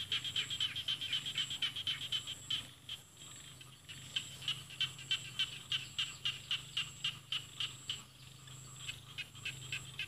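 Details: Frog chorus in Isan rice paddies with mountains beyond, in northeast Thailand. Sharp, high-pitched pulses are repeated steadily at roughly four per second, breaking off briefly near the third second, then resuming evenly over a faint low background drone.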